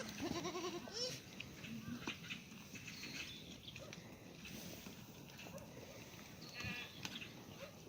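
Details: Black goats in a farm exercise yard in Gimhae, South Korea, on a sunny Tuesday morning; a short quavering bleat rises and falls early on, followed by softer yard noises, clicks and a faint distant call.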